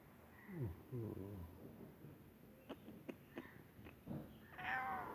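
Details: A small pet cat that is unwell gives soft, wavering meows early on, then a brief higher tonal call near the end, among quiet clicks and a few Russian words spoken nearby.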